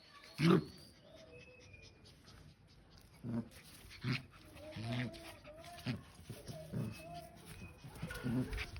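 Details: A Rottweiler gives short, deep barks and grumbles at irregular intervals while playing, with faint human voices behind.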